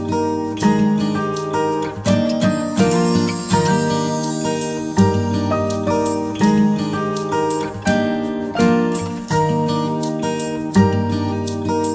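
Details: Strummed acoustic guitar music with ringing chords and a bright jingle, playing throughout with no animal sounds.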